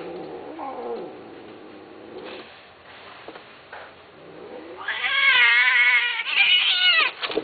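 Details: Domestic cat giving drawn-out, wavering meows: a quieter low cry in the first seconds, then loud, high, quavering yowls from about five seconds on, ending with a short sharp note.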